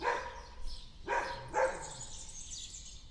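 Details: Dog barking outdoors in a backyard, four quick barks in the first 1.7 seconds, then birds twittering on their own.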